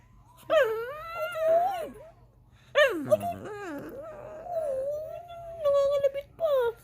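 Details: Indoor pet dog crying to get up on the couch, giving drawn-out, wavering whines that swoop down and level off, then a short final cry, with a person coaxing it to say please.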